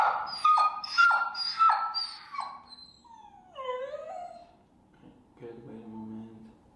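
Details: Feral dog Finnegan, at a Chicago obedience session on place training with an e-collar, whines in short, repeated, downward-falling cries, then drawn-out wavering whimpers fading into a low moan.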